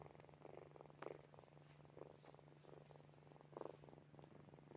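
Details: Sleeping kittens Snowy, Furry and Zoe give a gentle buzzing purr, swelling roughly once a second with each breath, a few soft snore-like puffs, and a steady hum behind.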